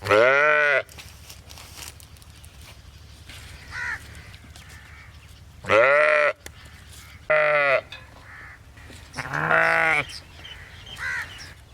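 A sheep gives several loud, wavering bleats, each about a second long, separated by quiet pauses.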